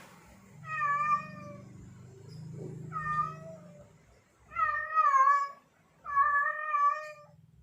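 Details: Male domestic cat in heat yowling to attract females, four drawn-out, slightly wavering meows rich in harmonics, separated by short pauses, with a low hum underneath the first calls.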